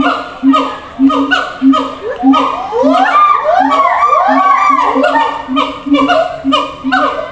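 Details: Siamang in a zoo enclosure communicating with separated companions: evenly spaced low booms with short rising whoops, swelling into a tangled burst of ascending calls, then back to the steady boom-and-whoop rhythm.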